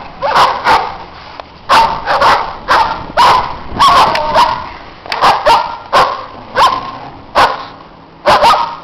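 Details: Barking from neighbours' dogs outdoors in the snow, with other dogs playing: a steady run of hoarse barks about every half second, some overlapping.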